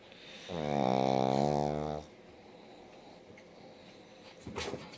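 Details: Indoors, a dog sleeping with open eyes lets out one long, vibrating snore of roughly a second and a half, low and rasping, then near silence with a soft thump near the end.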